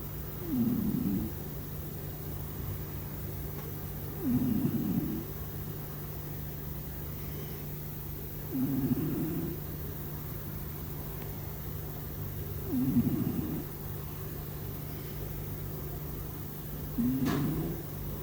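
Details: House cat snoring in its sleep: five evenly spaced low rasping breaths about four seconds apart, some starting with a tiny squeak, one faint click near the end, over a continuous low hum.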